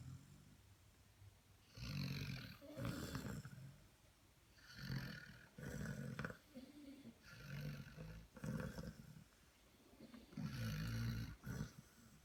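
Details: Basset Hound puppies asleep, giving a steady run of about six guttural, gravelly snores, each a second or so long, spaced roughly two seconds apart with faint breathing in the gaps.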